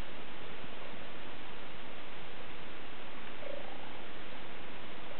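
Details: Cheetah purring, a steady low rumbling drone that runs unbroken from start to finish without pauses or distinct calls.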